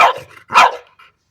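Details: French Bulldog at play with an orange pipe, giving two short, forceful barks about half a second apart, followed by a faint soft sound.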